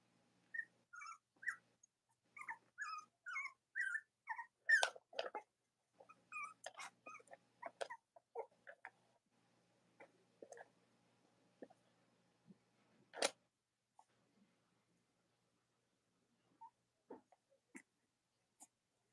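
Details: Cavalier King Charles Spaniel puppies from Robin and Myra's litters indoors: a run of quick squeaky whimpers early on, thinning to scattered faint peeps and rustling with a sharp click midway.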